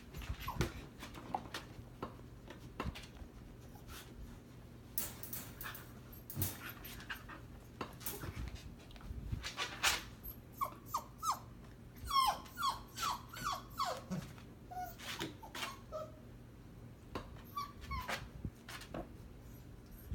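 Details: Husky mother and seven-week-old puppy brawling: quiet scuffling and panting, then a cluster of thin high squeals and yips from the puppy midway, over a low steady hum.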